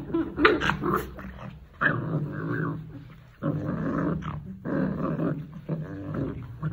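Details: An angry Rottweiler growls in long, rough, rumbling bursts with brief pauses between them.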